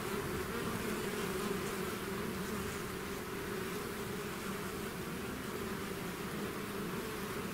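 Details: A honeybee swarm pouring out of its hive fills the air with a dense, steady drone, a low hum layered with a brighter buzzing band, unbroken and even in loudness throughout.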